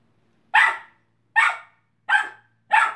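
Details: A 12-week-old Kelpie puppy playing in a pen with a 3-year-old cat gives four sharp, high barks, each about three-quarters of a second apart.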